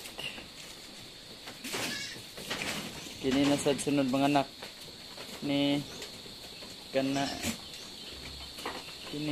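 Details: Goat giving birth to kids on an Anglo-Nubian farm in Negros Occidental, Philippines; low, quavering bleats in three bursts about two seconds apart, the first longest, over steady background hum.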